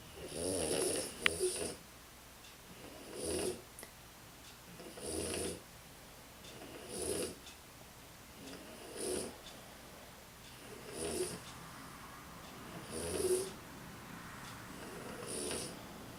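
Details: Exhausted French Bulldog snoring in a regular rhythm, about eight rasping, wheezy snores spaced roughly two seconds apart, each with a faint high whistle, indoors with little other sound.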